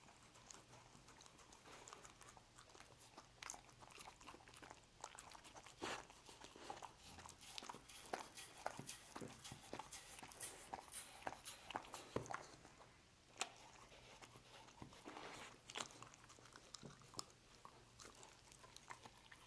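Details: Lucy, a dog, working through a meal of roast beef in a small room, with slower, separated chomps and snapping bites roughly every second, several sharp louder bites near the middle.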